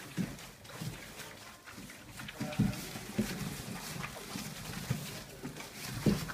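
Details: 34-day-old Dobermann puppies give short, low grunts and soft snuffles at irregular intervals.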